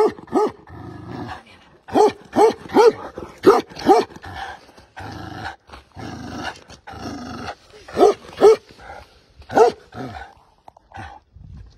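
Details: Tibetan Mastiff giving deep, hoarse barks in short runs of three or four, mixed with rough growling noises and brief pauses.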